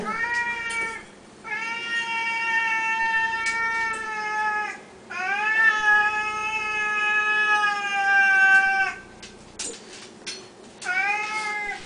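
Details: Hungry Siamese cats meowing at feeding time, Samuel especially loud: very long sustained, slightly wavering yowls lasting three to four seconds each, with brief gaps and faint clicks in between.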